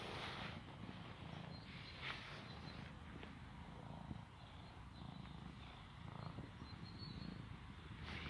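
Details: Shy little cat purring during a quick hug: a steady, low rumbling throb that pulses continuously through the clip, with faint soft rustles above it.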